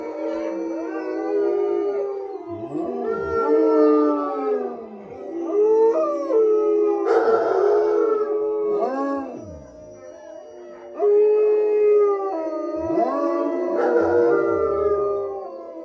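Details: Chorus of howls at the Southern Ohio Wolf Sanctuary, where the wolfdog Tigo howls: layered long tonal notes, some held steady, others arching up and down, swelling and fading in waves with brief quieter gaps.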